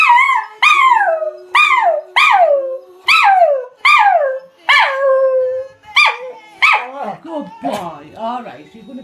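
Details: Scottish Terrier howling along to an Adele song indoors: a series of loud yelping howls, each starting high and sliding downward, repeated roughly every second, becoming broken and wavering toward the end, with faint music and a person speaking after.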